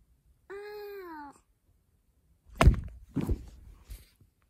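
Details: Cat indoors gives a single drawn-out meow that dips slightly in pitch, then after a pause come three heavy thumps and knocks, as of an attack or scuffle.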